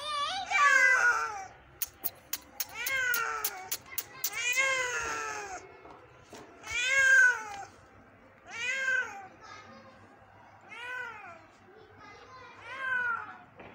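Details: An injured kitten found one morning calls during its rescue with a series of loud, plaintive meows, each rising then falling, repeated every one to two seconds, with sharp tapping clicks near the start.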